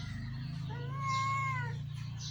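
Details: A pet cat at play gives one drawn-out meow lasting about a second, level at first, then dipping slightly as it fades, over a low steady hum and faint background murmur.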